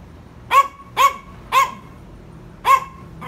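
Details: Yorkshire Terriers barking to tease and provoke: three quick sharp barks at half-second intervals, a one-second pause, then another bark and the start of a fifth.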